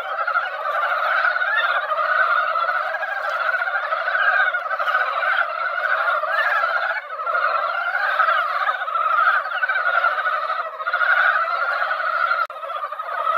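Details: Many mountain frogs gathered in a quiet mountain pond after a light rain that barely wet the ground, an event heard only at this time each year: a dense, unbroken chorus of overlapping clucking croaks, dipping briefly around seven seconds and again near the end.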